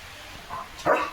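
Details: Leo, a pet German Shepherd, playing after a bath before switching to alert duty: a soft short yelp, then one louder, sharper bark near the end, with quiet room noise and a person's voice around it.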